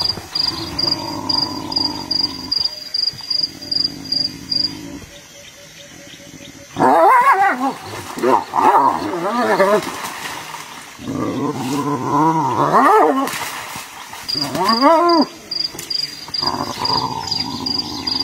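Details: Two hyenas fighting: after a quieter start, bursts of quavering, giggle-like harmonic cries rise and fall rapidly over rough growls, with a steady electronic beeping tone at the start and end.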